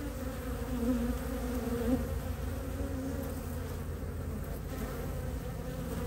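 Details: Western honey bees, pollen foragers returning in early spring (mid-March, temperatures in the 50s) with maple pollen, landing at the hive entrance in Ohio: a steady low wing-buzz drone with hum near 250 and 500 cycles.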